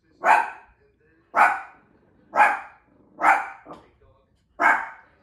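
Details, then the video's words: Young Shih Tzu voicing displeasure at new bowls with five loud, bright yapping barks about one second apart, one followed by a small softer yip. "Shih Tzu pups reaction to new bowls."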